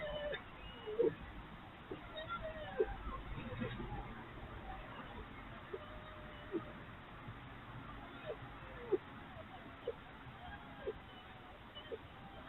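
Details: Three red foxes (Vulpes vulpes), urban foxes, at night during play sparked by the arrival of a dominant fox, give short, thin whining yelps and squeaks scattered irregularly over a soft background hiss; play calls.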